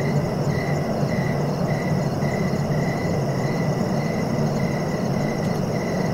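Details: Regular cricket chirps, short bright pulses repeating roughly every half second, set against a constant shrill insect hum and a deep low-frequency rumble.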